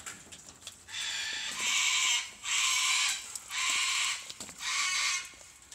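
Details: Australian flying fox mother and baby in wildlife rehab, October 2015; four long, loud, harsh screechy calls roughly a second each, separated by short pauses, over faint background clicks.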